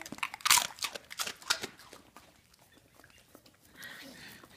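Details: Female Rhodesian Ridgeback eating her fortune, a quick run of sharp crunching bites in the first two seconds, then quieter mouth sounds and a soft human voice near the end.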